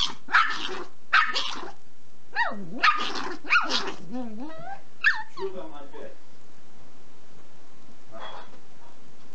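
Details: Six-month-old male Pomeranian puppy, cream sable, guarding a bone from its mother at a dacha; quick bursts of rough, high yaps in the first four seconds, then human speech and quiet.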